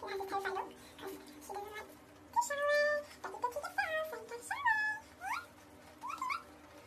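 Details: A female pet guinea pig squeals in short bursts of high whistles, some held steady, others swooping up or dipping at the end, over a faint voice and soft room noise.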